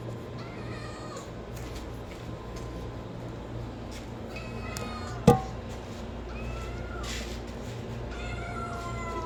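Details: Cat or kitten meowing, a few faint harmonic meows spread across the recording, a sharp single knock near the middle, and a constant low hum underneath.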